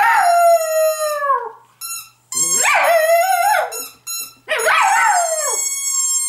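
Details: Pet female dog howling from longing when she misses her owners or wants to wake them; long tonal howls, the first slowly falling, later ones rising then wavering and dropping, with short yips between.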